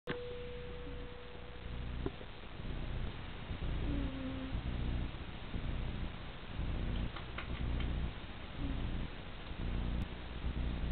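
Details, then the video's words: Percy, a Persian cat, snores softly in a brief capture: a low, rumbling breathing sound pulsing about once a second, with a faint steady tone early on. "Percy the Persian - sweet snoring"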